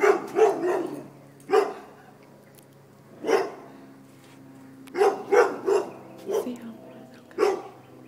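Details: Dogs bark while fleeing a mounted deer head. Short, harsh barks come singly and in quick pairs every second or two, with faint voices and a low hum underneath.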